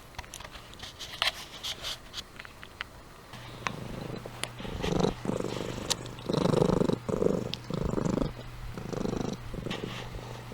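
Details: Amy, a domestic cat, sleeping and purring; after a quiet start with faint clicks, pulsed rumbling purr bursts set in, alternating with short pauses through the second half.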